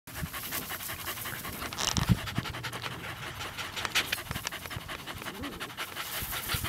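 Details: Two Parson Russell Terrier puppies, about eleven weeks old, romping together one last time before one leaves for a new home; rapid rhythmic panting fills the clip as a steady breathy pulse with scuffling noises.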